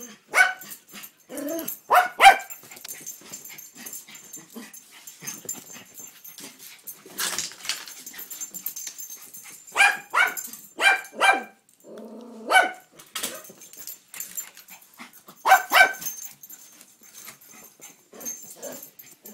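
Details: Toi the dog barking at the mail man, the barks sparse here: single sharp barks and short pairs come at intervals, separated by stretches of quieter household noise.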